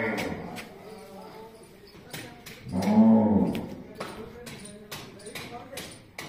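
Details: Cow at a gaushala (cow shelter) ashram in Majari, Jhunjhunu, India, giving one drawn-out low moo of about a second near the middle, with clattering, knocks and brief human voices around it.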